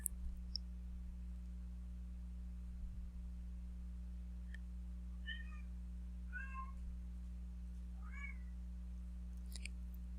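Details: Indoor domestic cat crying in the background during a recorded lesson: three short plaintive meows spaced about a second apart, faint beneath a constant low hum, with light clicking at the start and end.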